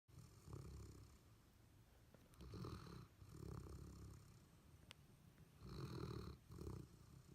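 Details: Golden Retriever Abundant Joy and Labrador Retriever Tupelo Honey, two dogs asleep and dreaming indoors, snore in low rumbling breaths, rough bursts roughly every two to three seconds with quieter gaps between.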